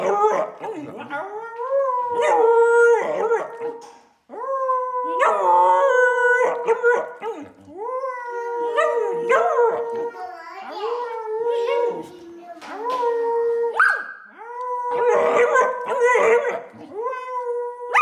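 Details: Middle, a three-year-old female Samoyed, howling on her birthday alongside a person singing: repeated rising, wavering howls in bursts of a few seconds, with voices mixed in.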